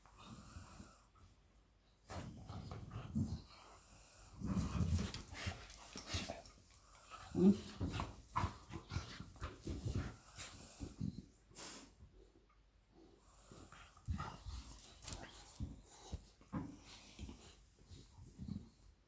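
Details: Labrador Retriever mother Lilly and her puppy Molly playing indoors: low, breathy rumbles and wheezy huffs come in uneven bursts, with sharp knocks and scuffles between them and quiet pauses.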